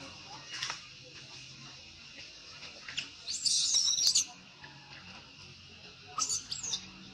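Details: Baby monkey crying in disappointment as its mother refuses it milk: a loud, high, shrill squealing burst lasting nearly a second, then a shorter pair of squeals later, over a faint steady background hum.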